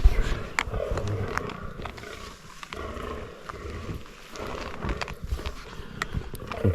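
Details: Fallow deer bucks during the 2023 rut, roughly fifteen gathered around a scrape, stalked by a bowhunter: deep, throaty low groans recur through the recording, with faint rustling and outdoor background.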